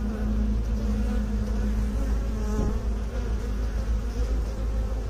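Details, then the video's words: Loud, close honey bee drone, deep and steady with a clear tonal hum in the first half and a brief rising whine partway through. "Bee song"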